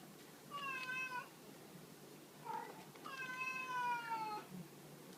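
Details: Indoor cat at Hana no Ki shelter, one of two females, Chris an American Shorthair and Hachimaru a black-and-white hachiware, playing with a cat teaser toy; a short meow, then a longer drawn-out meow that slowly falls in pitch.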